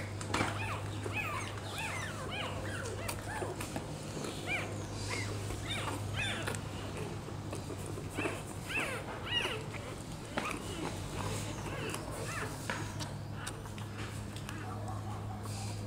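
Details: Rottweiler puppies nursing from their black mother, giving many short high whimpering squeaks that rise and fall, packed densely through the recording over a steady low hum, with a few faint clicks and rustles.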